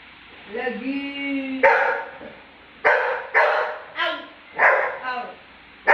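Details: Labrador barking back at a person mocking him: a drawn-out tonal mocking call, then six sharp, loud barks spaced irregularly about a second apart.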